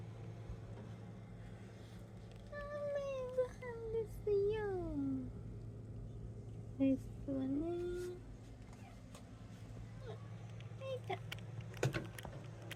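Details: Pet cats indoors at feeding time while a woman chats softly in Japanese as she prepares their food. Two drawn-out, falling meows, the first long and wavering, then a shorter pair of meows, all over a steady low hum.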